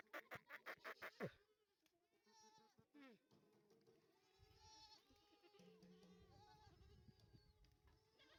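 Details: Goats bleating softly after 250 young does and bucks arrive by vehicle at a farm in Dhule, Maharashtra. Quavering bleats overlap, after a rapid series of knocks, with a person's voice faint in the background.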